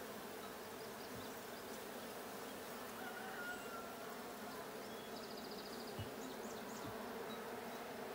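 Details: Steady buzzing of a honey bee colony in the Blue hive at a 6/20/22 hive check, with a few faint high chirps above the drone and a couple of soft thumps.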